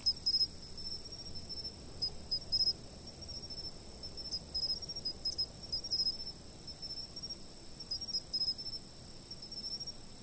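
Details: Insects chirping, recorded by a fixed camera: a steady, very high continuous trill runs throughout, with short bursts of brighter pulsed chirps in small clusters every second or two, over a faint low background rumble.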